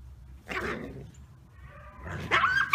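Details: A captive red wolf at the Wolf Conservation Center, South Salem, New York, gives two short, harsh yips, the second ending in a thin whine. Its pack of two parents and three 8-month-old daughters is feeling frisky.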